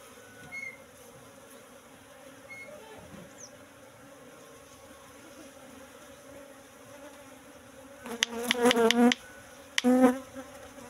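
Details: Asian honey bees (Apis cerana) at a cultivation hive box, colony moved from the forest about three months earlier, during honey harvest: steady low hum, then two loud close buzzing bursts near the end.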